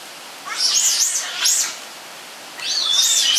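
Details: Captive giant otter family of six, including two cubs born at Chestnut Centre, Chapel-en-le-Frith, filmed 25 June 2011; two bursts of shrill, wavering high squeals separated by a short pause, with a quiet background.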